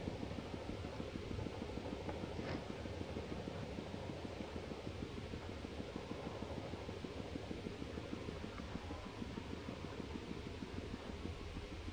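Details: Steady low rumbling noise like a fan or distant traffic, with no animal calls heard.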